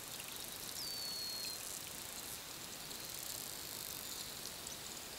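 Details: Wild bottlenose dolphin whistling underwater as part of its communication: one clear, high whistle that dips quickly and then holds a long, steady tone for under a second, set against a dense crackling background.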